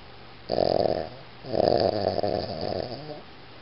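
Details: Iggy the Boston Terrier snores twice: a short harsh rasp, then a longer rattling snore that fades unevenly after a brief gap.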